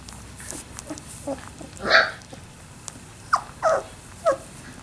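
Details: Three-week-old Labrador Retriever puppies giving a few short, high whines and squeaks, one louder yelp near the middle, over a low background hum.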